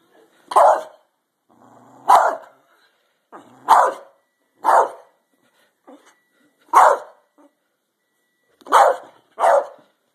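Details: Pet dog barking during a fight, sharp single barks repeated roughly every one to two seconds, eight in all, loud and clipped, with brief quiet gaps between.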